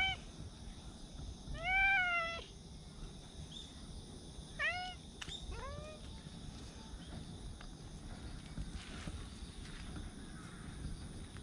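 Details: Cats living in a park, recorded outdoors on 28 September: a drawn-out rising meow, then two shorter meows a few seconds later, over a steady faint hiss of outdoor background.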